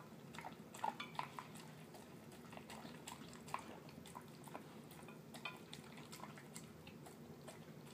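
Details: Pet terrier mix dog eating his dinner of canned food mixed with kibble indoors; wet, mushy chewing and lapping clicks come in quick irregular bursts, with a few sharper clinks early on.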